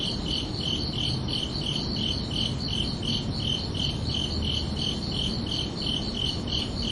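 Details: High, pulsing cricket chirps on a summer night, repeated around three times a second in a steady beat above a faint low rumble.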